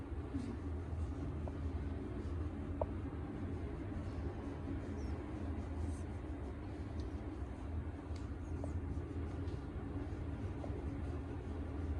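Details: Steady low hum with faint scattered clicks and ticks; no animal voice is heard.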